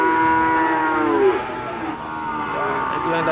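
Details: At Gondanglegi animal market in Malang, East Java, 12 February 2020, a Limousin cow gives a sustained moo that drops and fades, followed by a softer second call amid background voices.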